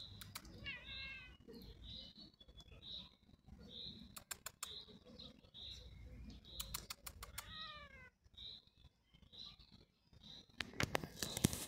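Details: A cat perched on a tree stump in the evening lets out two short, wavering meows several seconds apart. Repetitive high-pitched chirps from the surroundings continue throughout, and clicking and rustling noises appear, loudest near the end.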